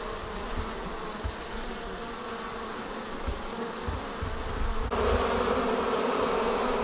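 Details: Swarming honey bees leaving the hive produce a continuous buzzy drone. Low thumps run through the first part, then a sudden shift brings a brighter, louder hum for the final two seconds.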